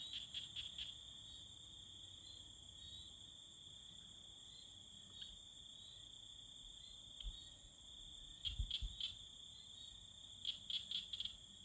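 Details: Tree frogs calling to woo each other, giving several separate bursts of fast clicking pulses, three or four at a time, under a steady ringing insect chorus.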